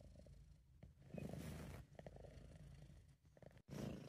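A British Shorthair cat purrs close up, a deep, steady rumble in alternating breaths.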